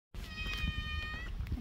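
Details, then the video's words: Female calico cat found at a workplace, where she had been meowing loudly for about half an hour: one long, steady, clear tonal meow lasting roughly a second, with a low background rumble. "Meeting a friendly and vocal calico kitty at work"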